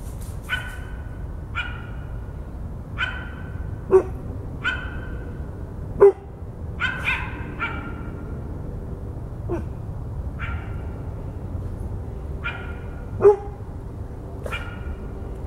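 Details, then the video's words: Dog and coyote barking together: sharp, clipped barks with short raspy tails, some doubled, spaced irregularly about one to two seconds apart over a steady background hiss. "coyote and dog bark"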